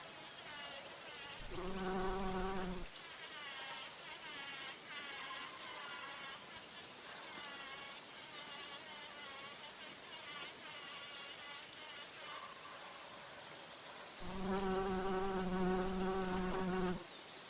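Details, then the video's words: Bumblebee at flowers drinking nectar or flying: a loud low drone opens for about a second, a fainter wavering hum follows, then a strong buzz returns for nearly three seconds; high insect chirring continues throughout. "Bee humming / buzzing sounds | Bumble"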